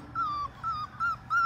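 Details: Five-week-old Labrador Retriever puppies, one of a litter of six, playing in the baby pool they were born in; four thin whining whimpers, each held briefly and slightly falling, spaced about every third of a second.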